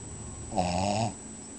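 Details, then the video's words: Flyer, a pet dog, snoring while asleep: a single half-second, low droning snore with layered tonal bands, rising briefly and fading out against quiet indoor background. "Flyer snoring"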